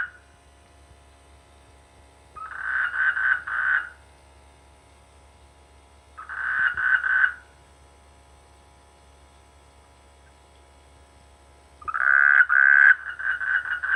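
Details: Frogs croaking in rice fields during the rainy season near a village: three bursts of rapid pulsed croaks, each about a second long, three to six quick pulses apiece, separated by quiet gaps of several seconds.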